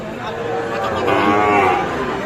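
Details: Sahiwal bull calves at the Aftabganj cattle market in Nawabganj, Dinajpur, Bangladesh, on 16 July 2024; a drawn-out, harmonic lowing swells briefly while traders talk nearby.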